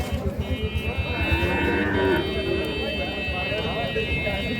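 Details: Sahiwal cattle at Ambari cattle market, Parbatipur, Dinajpur, Bangladesh; a brief lowing moo amid loud market bustle, people talking, rhythmic mechanical thumping and a high electrical hum.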